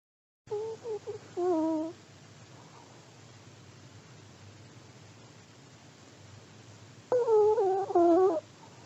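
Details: Sleeping elderly Pomeranian snoring in two breaths about six seconds apart, each a pair of short whistling, tonal wheezes with harmonics, separated by near silence with a faint low hum.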